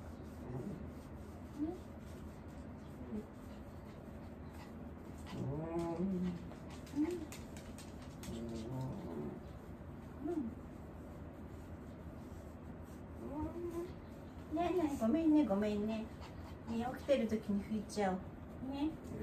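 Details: Elderly dog Wanta, in home care and often voicing while awake, groans during the morning routine: scattered short, wavering, quavering moans, some bending up and down, coming in intermittent bursts with a denser louder cluster near the end, in a quiet indoor room.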